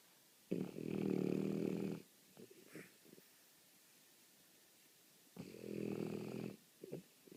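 A French Bulldog snores in long, rattling, low breaths, each lasting about a second and a half.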